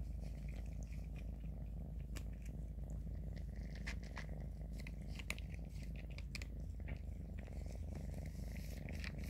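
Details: Kittens Grayie and Shoey: one eats while the other licks him, an even low purr humming underneath frequent crisp clicks of eating and grooming.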